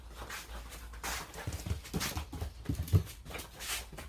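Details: Three-month-old puppies at play, worn from roughhousing; rapid rhythmic panting with soft whimpers and scuffling, a low hum in the background.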